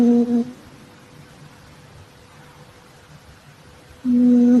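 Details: Asleep indoors, a calico Exotic Shorthair cat gives droning snores, one fading at the start and another beginning four seconds later, each a steady low hum separated by near-silent breathing.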